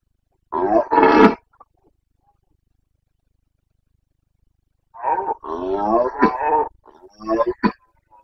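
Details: Carpathian stag bellowing during the rut in the Bucovina mountains, late September 2022: a loud hoarse roar, a long silence, then an extended series of deep, rasping roars breaking into shorter grunts.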